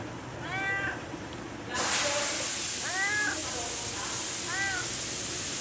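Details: A cat begging for food gives three short, bent meows spaced a couple of seconds apart, while a loud rushing hiss bursts in after the first call and continues throughout.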